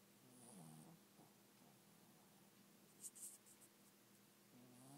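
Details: Zeus, a little pet dog, snores while asleep indoors: soft, low rasping breaths near the start and again at the end, with faint clicks and a quiet hiss between them.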